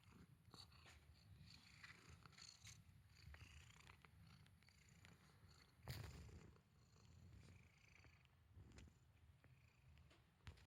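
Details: Steady low purring from Mimita, a male house cat, rumbling rhythmically throughout, with a brief louder knock or movement noise midway and light household background sound.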